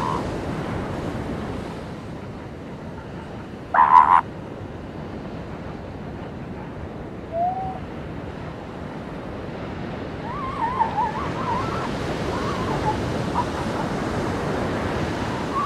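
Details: Seal pups on a beach: one loud, abrupt cry stands out early, followed later by a short low moan and a run of quavering, warbling calls, all set against constant rolling surf.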